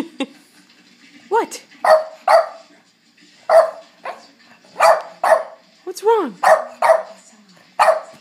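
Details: A Boston Terrier begging for dinner in April 2013 gives short, yappy barks and whiny, arching yelps in quick clusters.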